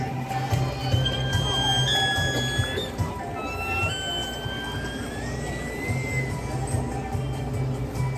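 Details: Killer whale; calls and whistles; communication within the pod; each pod has its own dialect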